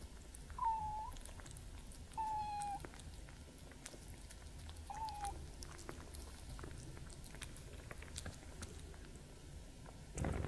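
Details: Cats Gordy and Master Yoda eating and drinking indoors; three short descending meows early on, between faint chewing clicks, with a louder thump at the end.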